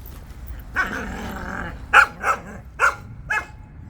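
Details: Jindo dogs out on a walk: a drawn-out bark, then four short, sharp barks in quick succession, each about half a second apart, over quiet outdoor background.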